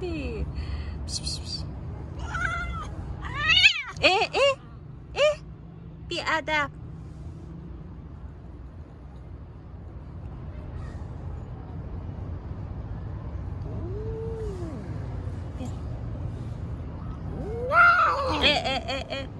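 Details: Stray cats and kittens on the street while being petted and fed; a burst of loud, wavering meows early on, then a quieter stretch with a faint call, and a final strained meow near the end.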